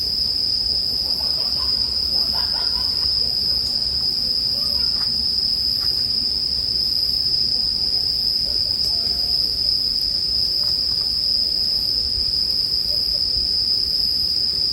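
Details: Bell cricket song forms an even, high-pitched ringing drone, over faint snapping and rustling of a burning campfire.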